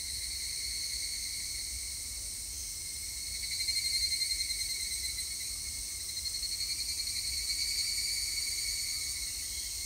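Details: Higurashi, the evening cicada, recorded 3 August 2021: two waves of fast, shimmering pulsed song rise and fall, one near four seconds and another near eight. Both ride over a constant high-pitched drone of cicadas.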